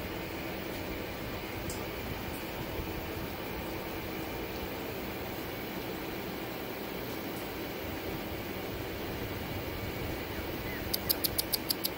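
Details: Steady broadband rumble like a vehicle or air conditioner fills the recording, with a quick run of sharp clicks near the end and no animal voice.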